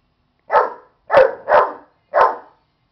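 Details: Agitated at a stuffed animal, the dog Buddy lets out four short, harsh barks, the middle two close together, the last after a brief gap.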